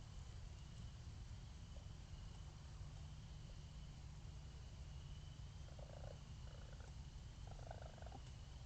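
A raccoon purrs in a steady low rumble, then adds a few brief, rougher chirring noises near the end.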